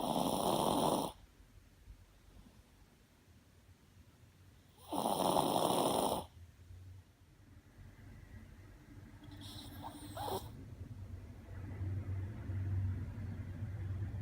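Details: Two loud raspy snores from a sleeping Shih Tzu about four seconds apart, then a short faint snort and rising low background hum.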